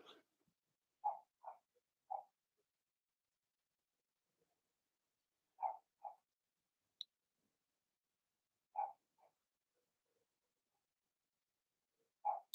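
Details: Young Blenheim Cavalier King Charles Spaniels from a litter of six whelped March 7–8, kept indoors in a puppy pen; sparse short yelps come in pairs or threes, separated by long stretches of quiet room.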